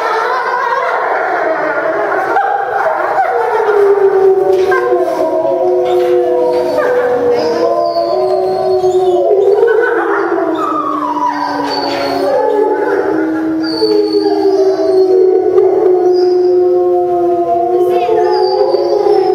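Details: After a meal, a pack of timber wolves kept at a zoo in Tokyo, Japan, joins in a chorus howl, September 2015: many sliding, rising and falling tones overlapping, with some higher yips mixed in.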